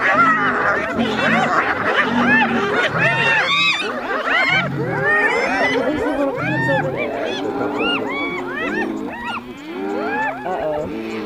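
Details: Spotted hyenas fighting a lion over a meal; rising arched giggles repeat about eighty times a minute from several animals, with low grunting growls in bursts during the first half.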